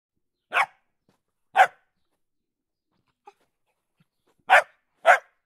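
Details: Dog barking: four sharp, separate barks, two early and two close together near the end, with quiet gaps between them.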